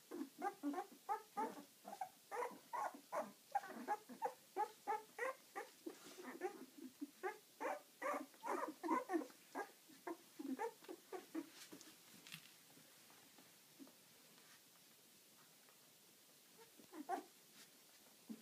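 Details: Pups of Ziva, eleven days old and active, make a rapid series of short grunting squeaks, about three per second, slowing and thinning out toward the end against a low hiss.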